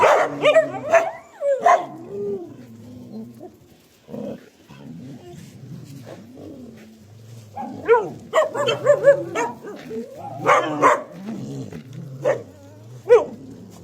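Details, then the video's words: Dog giving bursts of harsh, harmonic barks and yelps in clusters, loudest near the start and again through the second half, separated by quieter stretches with a low droning hum underneath. "Dog King Suppression"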